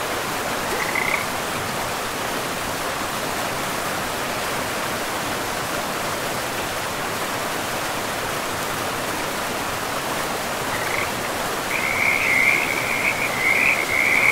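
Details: Frogs call by a river deep in a pristine forest; one brief trill early, then a lively burst of rapid, rattling croaks near the end, layered over a constant roar of flowing river water.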